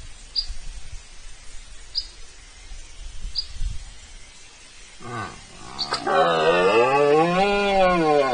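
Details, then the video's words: A red deer during the September rut in Spain calls close to the camera, 19 September 2024. Short grunting starts build into a long, loud, rich roar that swells and dips in pitch. Faint high chirps are heard earlier. "Berreando delante de la cámara"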